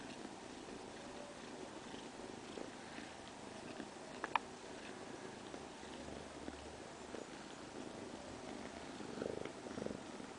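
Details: Domestic cat purring in a quiet setting: a smooth, unbroken low rumble that swells slightly toward the end, with a few faint clicks along the way.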